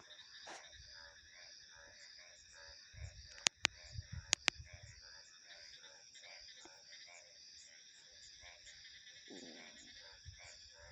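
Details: Rhythmic pulsed frog croaks repeating at a quick, even pace against constant shrill insect and cricket trills, interrupted midway by several sharp loud clicks and a low rumble.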